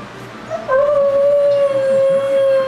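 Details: Puppy left alone for the first time, howling: after a quiet start, a long sustained steady mid-pitched tone held for about two seconds, slightly wavering at its onset.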